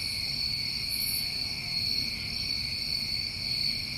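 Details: Continuous ringing trill of many crickets on a summer night in New England, two steady high bands of sound with one brief higher buzz early on and quiet low background noise.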